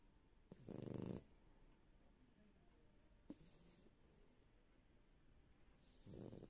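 A French bulldog snores in loud, rasping bursts, each breath a low rattling rumble.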